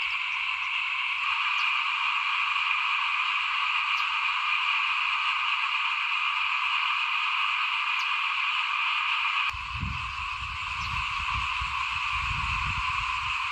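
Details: In front of a house during 2021 rice sowing, many frogs keep up a continuous, pulsing trilled chorus at steady loudness; low rumbling wind or handling noise joins for the last four seconds.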